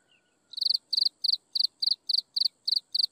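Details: Half a second of near quiet, then insects at sunset start a regular series of ten shrill, pulsed chirps, each a fast triple or quadruple click, spaced about three per second.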